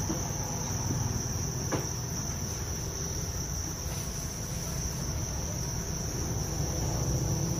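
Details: Farm-raised Thai crickets kept for breeding, a steady high continuous trilling band from many insects, with a low rumbling background noise throughout.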